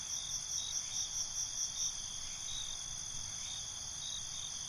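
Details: Crickets at night, opening with a string of loud pulsed chirps about two per second over a steady high ringing chorus, then settling into the continuous trill with a low background hum.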